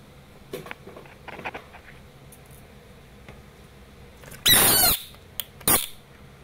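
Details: Asian bullfrog giving one loud, rasping scream lasting about half a second, then a shorter second scream. Faint soft knocks and rustles come before them.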